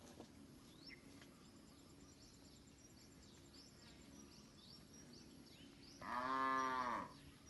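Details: Village cattle from a large herd grazing and roaming freely in a green rice field. A single loud, low, harmonic moo arches up and falls back over about a second near the end, after quiet rural background with faint high chirps.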